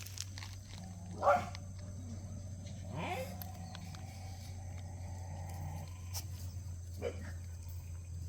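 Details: Playing puppies from Cheondol's litter, a bigger pup among them being Heukhyang's daughter; a few short yelping barks, the loudest near the start, then a couple of fainter ones over a constant low droning hum.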